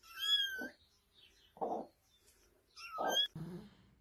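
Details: Domestic cat in a funny pet compilation, giving two high, tonal meows that hold level and then drop slightly, about two and a half seconds apart, with lower muffled bursts of other sound between them.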